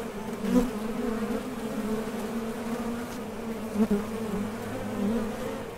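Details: Honey bees buzzing at the entrance of a Top Bar Hive as they leave for and return from foraging for nectar; a steady low hum with a strong harmonic above, swelling briefly as bees pass close.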